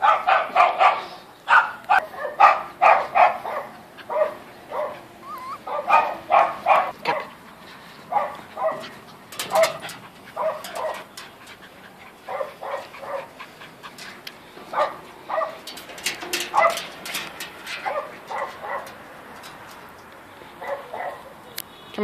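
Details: A 14-week-old female Toy French Poodle playing on a slide gives bursts of short, high yips and barks, several quick ones in a row, then pauses, with a person's voice urging her on.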